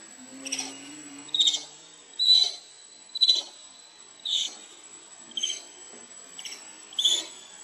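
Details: Baby monkey Lucie begs its mother for milk and is refused, giving short, high, shrill squealing cries about once a second, eight bursts in a row, with a steady thin high whine underneath throughout.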